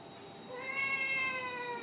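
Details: Domestic cat giving a single drawn-out meow, rising then falling slowly with rich harmonics, while a person speaks softly indoors.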